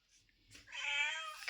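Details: Street cat letting out one drawn-out, steady harmonic meow that swells and then fades, with a person's voice close by.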